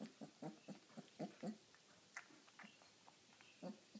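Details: An 18-day-old Irish wolfhound puppy at dinner, giving a quick run of short low grunting squeaks about four per second, then softer scattered ones, with wet feeding noises indoors.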